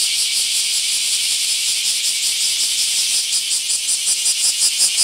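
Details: Massed bear cicadas in a park in Akashi, Japan, emerging in great numbers; shrill continuous drone that grows into clear rhythmic pulsing, roughly two to three beats per second, in the last seconds.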